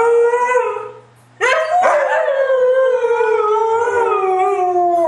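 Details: Three white huskies sing along in a group howl; one steady tone, a short pause, then a burst of voices rising and sliding slowly downward.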